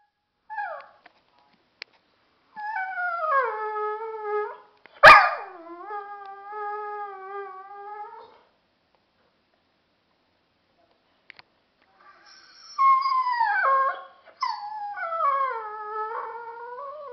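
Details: Dogo Argentino dog at home vocalizing as if trying to tell its owner something: drawn-out tonal howls and whines that slide downward, a sharp yelp midway, then a pause before a second rising and falling howling bout.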